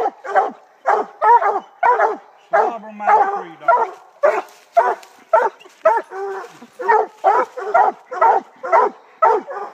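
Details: Treeing Black and Tan Coonhound barking hard and fast, about two barks a second, rough chesty chops in a steady rhythm, with a brief low whine-like sound partway through.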